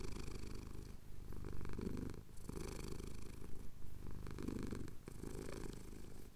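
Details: Male pet cat purring while having his chin scratched at sunrise over the Cotswold hills, taped on a Tascam DR-07X; a deep, rumbling low purr swelling and fading with each breath, with short pauses between cycles.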